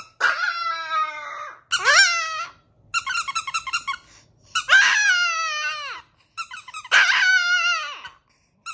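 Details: Chihuahua howling in a small indoor room, five loud drawn-out howls that start high and sag downward, separated by quick stuttering yips and squeaks, with no other sounds.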